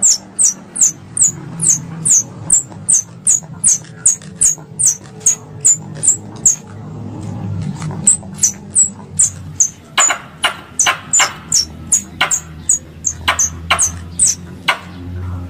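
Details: Squirrel lure calls for hunting, three calls combined: rapid series of very high, thin squeaks, roughly two to three per second, with broadband clicks growing stronger in the second half over a low hum.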